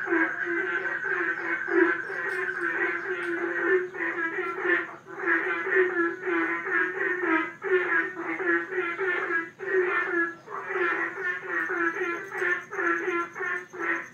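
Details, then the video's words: A pond full of frogs croaking at once, rapid rasping pulses rising and dipping in waves, short lulls near five and ten seconds, and a thin steady high hum underneath. "Herd of Frogs in the pond"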